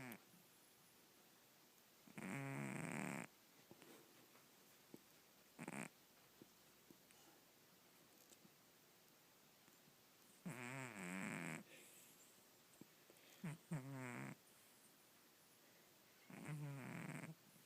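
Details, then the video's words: Domestic cat snoring loudly while asleep; long, buzzy, harmonic snores come in bursts of about a second, several seconds apart, with a quiet background between them. "Snoring Cat"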